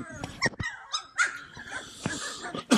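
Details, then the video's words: Cane Corso puppies at play give scattered short yelps and squeaky whines, a jumble of overlapping high voices with shuffling noise in between. "Bunch of Yipping Puppies!"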